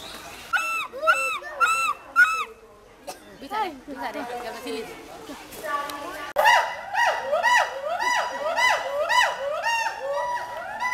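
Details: Ulluk, or hoolock gibbon, at Dhaka's Mirpur Zoo: a few spaced hooting notes, a lull with visitor chatter, then a loud run of rapid, evenly repeated arched whoops to the end.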